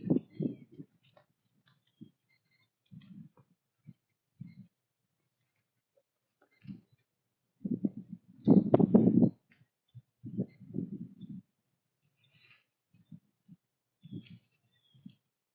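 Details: At sunrise in colorful fall woods, a white-tailed doe and her fawn munch corn on the trail. Repeated dull crunching in short clusters, loudest midway, while thin bird chirps sound softly in the distance.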